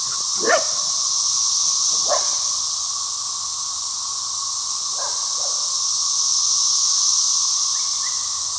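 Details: Deafening chorus of 17-year periodical cicadas on a rural property: an unbroken, high, hissing drone throughout, with a dog barking several times in the background.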